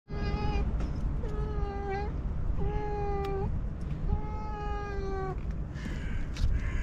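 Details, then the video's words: A pet cat living next to a forest meows as if missing its owner. It gives four drawn-out, level, clear meows about a second apart over a loud low rumbling background, with a rougher sound at the end. "Cat says I miss you so much with its cutest meows"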